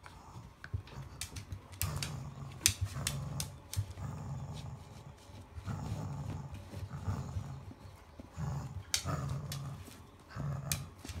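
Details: Hana, a Cavalier King Charles Spaniel, growling during a morning tug-of-war game in July 2016; repeated low throaty rumbles in short bursts, broken by sharp clicks and scuffling sounds of play indoors.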